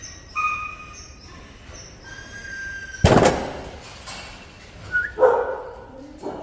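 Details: Active Jindo puppies, black, yellow, brindle and black-and-tan coats: after quiet high tonal whines, a single sharp bark bursts out around the three-second mark, followed by short squeaky yips and a yelp near the end.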